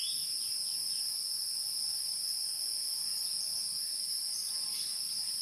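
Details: Wild insects: a steady, shrill, high-pitched trilling drone with two continuous bright bands holds unbroken throughout, with faint scattered chirps beneath and no other clear sounds.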